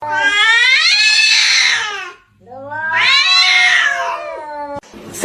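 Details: Domestic cat giving two long, loud, drawn-out meows, each about two seconds, harmonic and wavering, with a short pause between and a brief click at the end.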